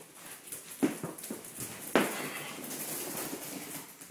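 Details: Red rust Doberman puppies, five weeks old, yip indoors in a small room: two sharp, short barks about a second apart, the second louder, over a low background of rustling and shuffling.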